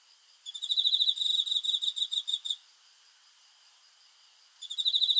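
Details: Cricket chirping at night: a two-second train of rapid, high, evenly pulsed chirps, then a quiet gap of about two seconds before the shrill pulsing starts again at the end.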